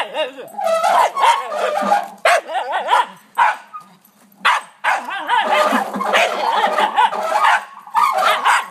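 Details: Backyard barking from Oliver, a pet dog reacting to a wheelbarrow: rapid, excited barks that run together into long noisy stretches, with brief silences and yippy rising notes.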